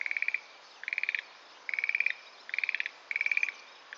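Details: Schlegel's green tree frog in a sedge thicket of Itsukushima Wetland, calling steadily with light castanet-like rattles: five or six bursts of rapid clicking pulses, about one every eight-tenths of a second.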